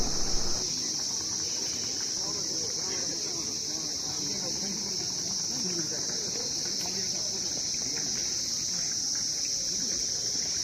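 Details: Crickets keep up a steady, high, shrill trill on an overcast early morning at Darjeeling Mall, India, with a man talking over it.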